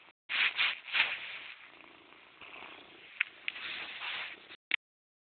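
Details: Purring from Morris the cat, loudest at the start with strong rasping pulses, then settling into a quieter, even hum before stopping abruptly near the end.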